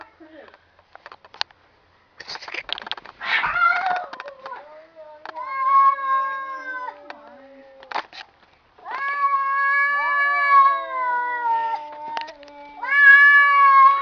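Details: Two domestic cats in a drawn-out indoor standoff, trading long harmonic yowls that waver and slide in pitch, with a burst of hissing and scuffling early on and brief pauses between howls.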